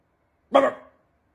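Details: Siberian Husky. A Siberian Husky lets out one brief, voiced yowl, rich in harmonics, with a quick rise and a wavering fall. The sound is over in under half a second, with silence around it.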